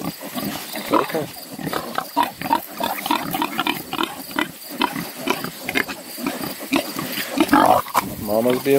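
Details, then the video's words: Newborn piglets only a few days old, many of them, beside their protective mother: dense, overlapping short squeals and grunts in rapid bursts throughout, with a person speaking softly nearby. "whee whee whee new PIGLETS"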